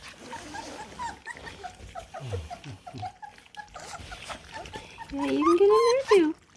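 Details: Eight Bluetick Coonhound puppies at feeding time, a person talking and laughing through most of it, then near the end a loud rising and falling puppy whine among softer squeaks and feeding noises.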